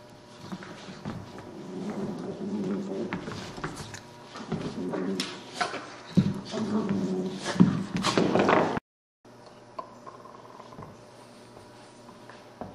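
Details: Puppies playing indoors, growling and grumbling in low, uneven bursts for about eight seconds with scuffling knocks, then a short gap and quieter hum with faint sounds.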